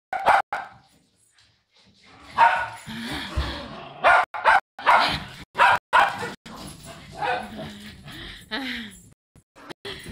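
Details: Poodles at a reunion: excited barking in clustered bursts over several seconds, mixed with people talking and lively background chatter, a few yips standing out near the end.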